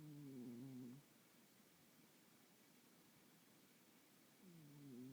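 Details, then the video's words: Pet cat asleep and snoring loudly, a drawn-out nasal rumble with a wavering tone lasting about a second, then a long quiet pause before the next breath begins to rasp again. "Snoring Cat"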